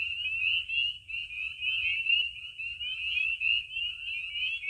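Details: Loud night chorus of spring peepers around vernal pools in Maine in spring. Many high, piercing upslurred peeps overlap into a continuous ringing wall of sound, pulsing slightly in loudness.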